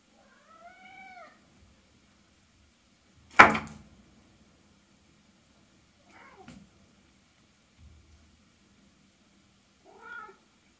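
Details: Norwegian Forest Cat from Hungary, kept as a pet in Switzerland, gives an arched, rising-then-falling meow near the start. A sharp loud clatter and a softer knock follow, then a shorter, rougher meow closes the sequence.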